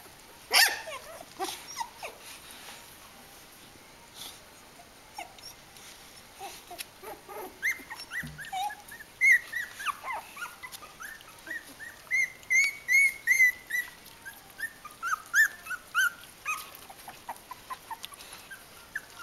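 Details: Three-week-old Kooikerhondje pups of the Vom-Veenufer H litter, high thin squeaks and whining yelps coming in quick bursts, growing steadier and louder toward the end, with some clicks and rustling.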